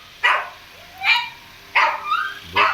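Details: Laddu, a small pet Shih Tzu in an Indian home, gives four short yappy barks spaced about half a second to a second apart, one trailing into a rising whine, over a quiet background.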